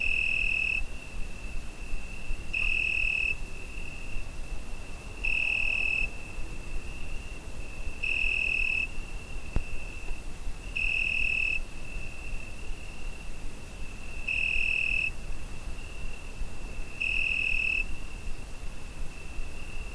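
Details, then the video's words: Crickets on a summer night, recorded with a Zoom H5: clean, high tonal chirps in bursts of under a second, repeating about every two to three seconds over a faint steady trill and soft low background hiss. "Summer Night Cricket Sound Effect"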